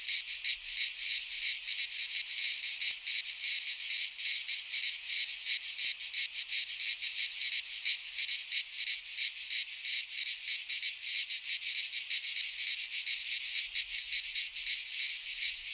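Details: Greek pine forest cicadas singing together in midsummer: an intense, sizzling high buzz that throbs in fast, fairly even pulses, about three each second, filling the whole recording without pause.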